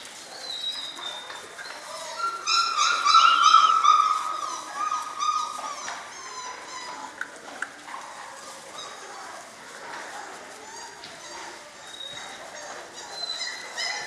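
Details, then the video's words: German Shorthaired Pointer litter at six weeks: one long, steady whine rises above a background of many small puppy squeaks and yelps, with scattered clicks throughout. "German Shorthaired Pointers Sevens Litter at 6 Weeks old"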